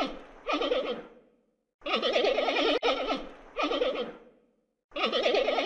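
A panda gives four goat-like bleats, each about a second long with a wavering, quavering tone, separated by short pauses.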